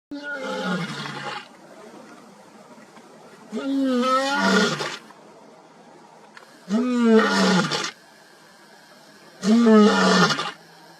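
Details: Lion in Africa giving four drawn-out, harmonic roaring calls, each about one to one and a half seconds long and spaced roughly three seconds apart, with near silence between bouts.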